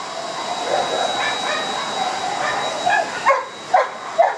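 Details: Old English Sheepdog at an FCI dog show in Osaka on 5 December 2010: three or four sharp barks near the end, about half a second apart, over steady indoor crowd murmur and a constant high tone.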